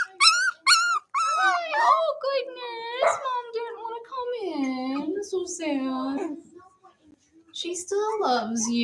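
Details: Cavalier King Charles Spaniel puppies playing together inside a home: a run of high, wavering whines and yelps that bend up and down, with short pauses, one long dip near the end, and human voices mixed in.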